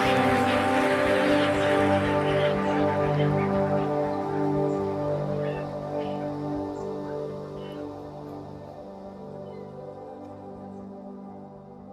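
Soft, slow ambient music with sustained layered tones that gradually fade; no animal calls are heard.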